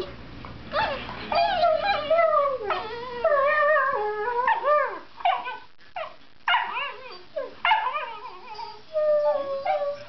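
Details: Domestic dog, a Mastiff playing with a Labrador, vocalizing in a way described as singing to each other: wavering whines and howl-like yips in rapid overlapping bursts, pitch sliding up and down, with brief pauses between phrases.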